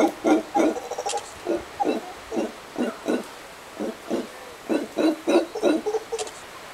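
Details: Howler monkeys at sunset in Costa Rica, giving a rhythmic run of deep, hoarse grunting bursts, roughly three per second, in uneven clusters with short gaps.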